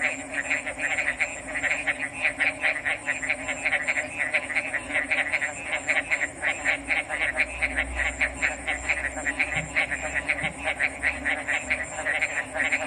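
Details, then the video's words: A chorus of frogs with fast rhythmic pulsed croaking that runs continuously and overlaps, over a constant low hum and a faint high-pitched drone, with a brief low thump midway. "RELAXING ORIGINAL FROG'S SOUNDS"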